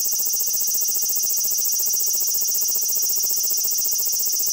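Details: A large brown cicada gives its steady, sizzling song, a harsh frying buzz without pause; the long continuous buzz is given while it sits still, broken rhythmic buzzing while moving; high notes clip in the recording.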